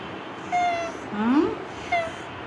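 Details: A pet cat, described as the owner's first cat and named Kutus, gives a short rising meow between two brief tonal chirps over a steady background hum, with speech in Bengali nearby.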